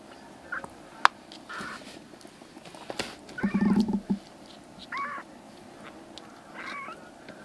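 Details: Rescued black kitten siblings, three brothers in foster care, recovering from stomach and eye trouble and now crying loudly while walking around the room indoors: several short meows, one louder drawn-out cry near the middle, with soft household thumps.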